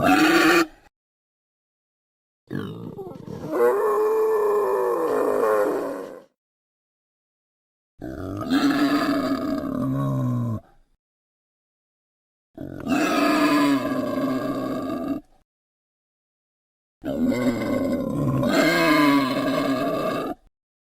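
A wild boar gives long, rough, groaning grunts, each lasting a few seconds with short pauses between.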